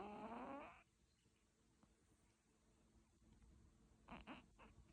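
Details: Sleeping cat snoring: one loud, nasal, buzzy snore in the opening second, its tone sliding upward, then a quiet room with a few faint soft rustles near the end.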